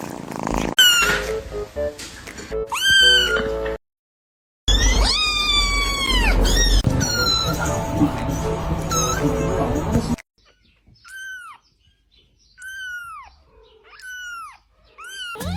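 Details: Kitten meowing: high, arching cries that rise then fall, given in quick bursts over background music. In the second half the music drops away, leaving single meows separated by short silences.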